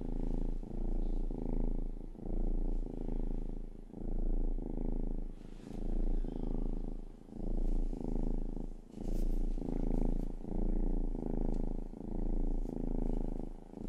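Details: Rang-i, the youngest pet cat of the household, purring indoors: a deep, rumbling, continuous purr swelling and fading in steady waves about every second and a half as the cat breathes in and out, with faint soft taps above.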